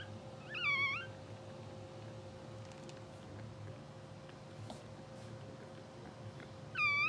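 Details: Newborn English Bulldog puppies, two hours old, sleeping and dreaming in a blue sable litter; a bending, high squeak near the start and another at the end, separated by quiet with a constant background hum.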